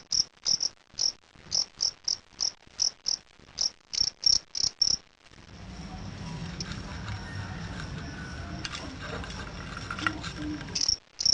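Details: A fighting cricket in a sound test gives steady, evenly spaced high chirps about twice a second for the first five seconds. Broad hissing noise with a faint rumble then takes over, and one last chirp comes near the end.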